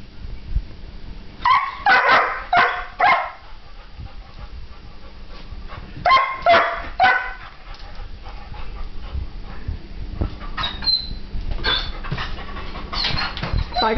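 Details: Young German Shepherd, nervous, barking in bursts of three to four sharp barks around two and six seconds, then quieter yips and whines through the rest, over a steady low hum and faint background voices.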